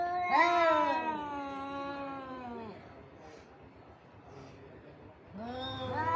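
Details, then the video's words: Fighting cats: a loud, tonal caterwaul sliding downward over two seconds, a stretch of low muttering, then a fresh yowl rising sharply near the end. "Cats Fighting With Sound"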